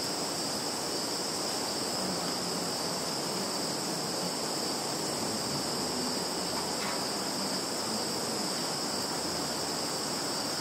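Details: September 2019 insect sounds from a Russian field, Kaluga region, captured on a Samsung Galaxy: an even, high trilling buzz that never pauses, layered over constant background hiss.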